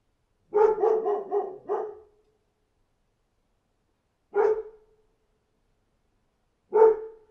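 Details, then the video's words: Outdoor dog gives a rapid burst of four barks, then two lone barks spaced roughly two and a half seconds apart, against silence. "Dog Barking Outside"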